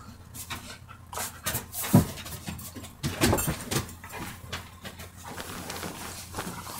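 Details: Two or more dogs at play-fight, trading rough growls and huffing pants in irregular bursts, loudest near two and three seconds, with low rumbling between them and scuffling noise.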